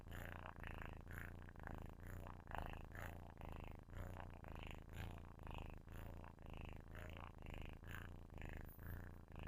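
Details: Sleeping kitten purring loudly right at the microphone: a deep, rough rumble with steady pulsing, swelling and fading in quick rhythmic waves, about two per second, with no other sounds.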